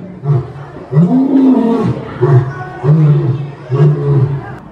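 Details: Lion roaring to communicate its location and intimidate rival prides: deep, booming grunts repeated about once a second, the second one longer and drawn out, with a faint murmur behind.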